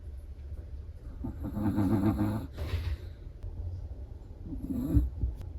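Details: Chihuahua in deep sleep, snoring with a rough, fluttering rattle, two snores about three seconds apart, the second shorter, over a faint low hum.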